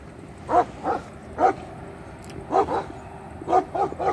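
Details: Barking of an Ala shepherd dog, a Turkish shepherd breed, at the spot where its puppies were just born: about eight short, sharp barks and yips in irregular bursts, some paired, with quiet gaps between.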